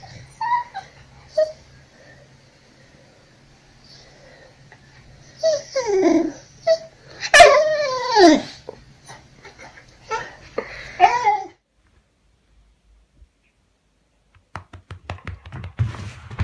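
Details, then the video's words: Jealous pet dog demanding attention indoors in a small room: drawn-out whimpering and whining yips, some sliding downward, clustered around the middle, while a person quietly gives sit commands and praise. "Jealous Dogs Demands More Attention"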